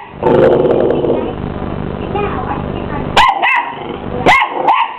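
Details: Twelve-week-old male Miniature English Bull Terrier puppy squaring up to a hoover: the vacuum's broad roar fills the first three seconds, then two sharp, high yapping barks ring out, followed by a fainter bark.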